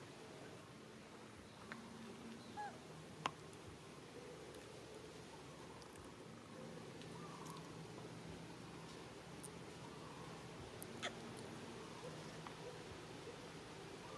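A young monkey gives long, wavering, whining cries, calling for its mother.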